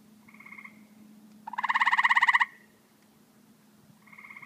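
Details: Tree frogs calling, with a loud rapid pulsed rattle of about one second in the middle, flanked by quieter, more distant pulsed calls at start and end, likely other frogs; steady low hum underneath.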